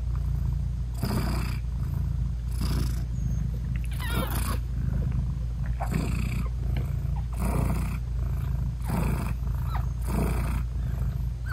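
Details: British Shorthair mother cat purring beside her newborn kittens, whose eyes are still closed, while nursing them; a steady low rumbling purr runs throughout, broken by soft breathy bursts about every one to two seconds, no music.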